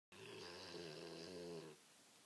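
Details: Sleeping American Pit Bull Terrier snoring: one long, steady, rasping snore with a buzzy, harmonic tone lasting about one and a half seconds, then quiet.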